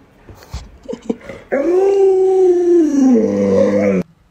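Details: Alaskan Malamute Luoluo, pet dog whose owner is sick and cannot get up: a few short soft whines and snuffles, then a loud sustained howl for about two and a half seconds that sags lower before stopping abruptly.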